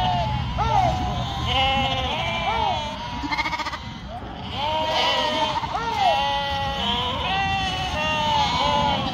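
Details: Sheep, a yearling ewe, from a flock raised in northern Spain, bleating repeatedly. The wavering, nasal bleats overlap one another, with several voices calling at once, and a person speaks faintly in the background.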